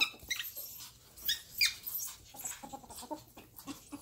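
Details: Pet ferrets at play, squeaking and whining as if fighting though only playing: a few thin, high, sliding squeaks stand out among soft scuffling clicks and patter.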